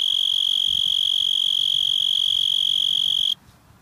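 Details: A cicada calling in a yard sings a loud, steady, high-pitched shrill drone that cuts off abruptly.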